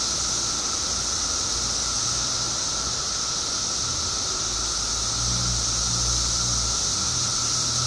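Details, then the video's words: Periodical cicadas in Illinois, part of a mass emergence of billions after 17 years underground: an unbroken high droning whine holds steady throughout, with a fainter lower hum beneath and low rumbling in the background. "Billions of Periodical Cicadas Emerge After 17 Years Underground Cicadas Making Noise"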